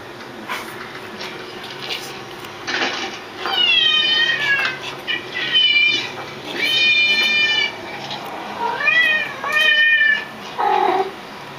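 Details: Domestic cats meow along while listening to other cats meowing. They give a run of long, wavering, tonal meows, some bending upward at the end, with brief pauses and soft background noise between calls.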